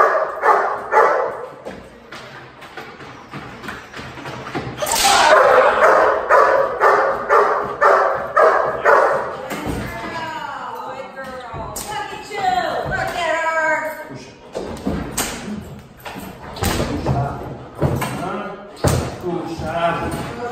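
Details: Dog in protection training, 20 January 2019: bursts of barking at the start, a dense run of loud barks, then scattered barks mixed with voices and thuds.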